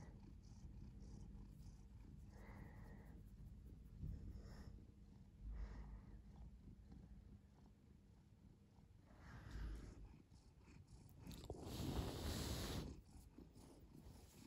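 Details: Purring house cat producing a steady low vibrating drone, breath cycles rising and falling; a brief loud rustling burst near the end.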